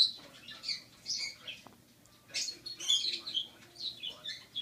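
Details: Rocky, a rescued six-week-old baby squirrel still on formula every four hours, trying a carrot for the first time; high, thin squeaks and chirps come in short bursts with pauses, over a faint low hum.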